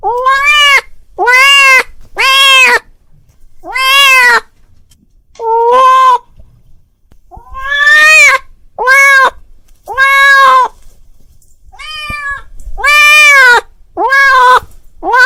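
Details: Calling his friend, a domestic cat gives a long run of about fourteen meows, some short and clipped, others longer and arching slightly in pitch, spaced irregularly with brief quiet gaps.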